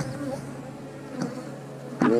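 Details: Honey bees at a strong, thriving hive during a beekeeper's inspection: a steady, low droning hum with even layered tones, a brief scrape partway through and a sharper knock at the end.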